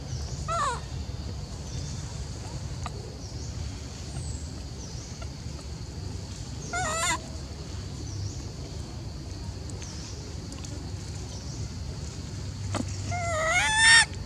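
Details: Macaque Elpida, seemingly jealous and upset while old female Susie is fed, gives wavering, harmonic, rising-and-falling calls at about one, seven and thirteen seconds, the last loudest, over steady low rumbling background noise.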